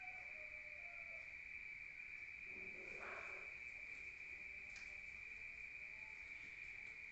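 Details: Rural crickets at night, heard from indoors: a continuous shrill, even-pitched chirring drone runs throughout, with a brief soft rustling noise near the middle.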